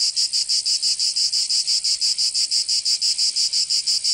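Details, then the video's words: Cicadas of Provence, southern France, on a summer day: shrill metallic buzzing pulses repeated evenly about three times a second, each pulse separated by a brief dip. "Canto Cigarra 🦗 [ Escuchar les cigarras en verano 10 H]"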